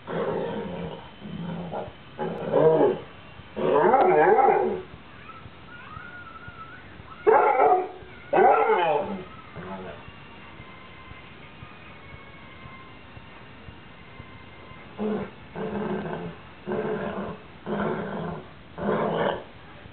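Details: A Basset Hound gives deep, wavering howls and short baying yelps in bursts after eating sardines, something he does every time he has them.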